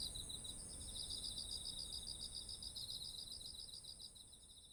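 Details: Autumn insects calling next to ripe rice fields, ZOOM H1essential recording: a sustained high-pitched ringing with rhythmic rapid chirp pulses over it, fading slightly toward the end, against a low background rumble.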